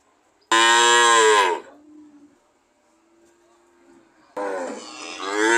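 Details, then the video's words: Cattle lowing, two strong moos: the first bright and harmonic, falling in pitch as it fades, then after a few seconds of quiet with a soft low hum, a second rising, strained moo. "Sound of cow"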